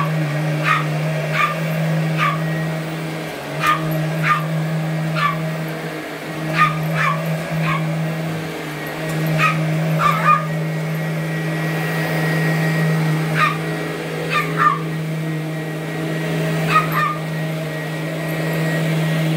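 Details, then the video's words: Twelve-year-old Boston Terrier Allie, weighing 8.5 pounds, barks at a vacuum she has always chased: rapid, uneven high yaps, often in pairs, over the continuous low hum of the machine. "Vac Attack by My Little Boston Terrier, Allie"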